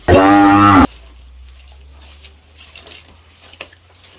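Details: Cattle grazing on a plantation at Sigeudok Hill, Lamteuba, well fed with plenty of food; one loud, steady harmonic moo lasting under a second, then quiet background with faint rustling and small knocks.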